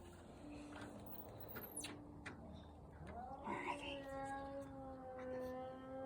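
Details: Cats fighting in a backyard: long drawn-out yowls with steady harmonic tones, a wavering rise and fall near the middle, then a sustained, slowly bending howl to the end, over faint background hum and scattered clicks.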